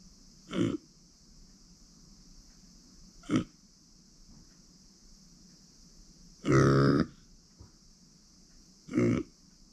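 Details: Micro pig Uni, a female born in September 2020 and adopted in April 2021, grunts four times: three short low snorts and one longer, louder rumbling grunt, over a steady high background hum.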